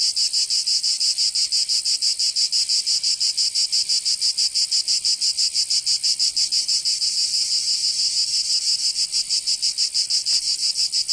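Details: Cicadas in summer in Provence, France, buzzing loudly and shrilly in fast even pulses near three per second, the throbbing briefly smoothing midway, with a faint click late on.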